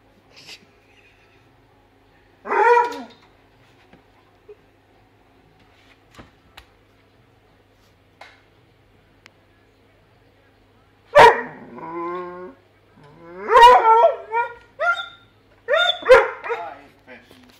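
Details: Indoor pet Weimaraner excited by fish in a tank: one bark, then a long quiet stretch with faint ticks, then a burst of yelping barks and wavering whines over the final seven seconds.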